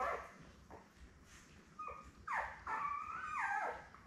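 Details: Newborn Labrador Retriever puppies, seven born May 24, 2021, lying with their mother Belle, on a live puppy cam on June 3. After a quiet start, a pup gives drawn-out, wavering whines and short falling squeals.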